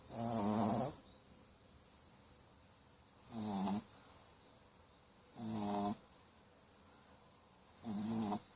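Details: Puppy snoring in its sleep, four rough, buzzing inhalations of under a second each, separated by quiet pauses of about two seconds, no other sounds.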